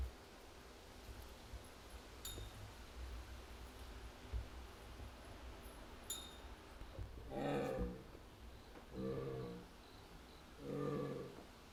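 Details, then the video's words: Yuuki the jaguar at Higashiyama Zoo, Nagoya, 21 October 2025, calling softly as if muttering after the keeper went off to other tasks; three throaty harmonic calls about every two seconds near the end, faint clinks earlier. "ユウキの鳴き声《 ジャガー 》"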